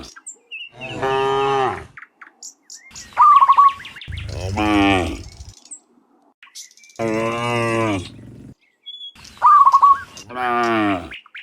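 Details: Cows, dozens of them, returning in the morning from the field to the pen: four long, resonant moos, some rising then falling, with short, high bird chirps between them.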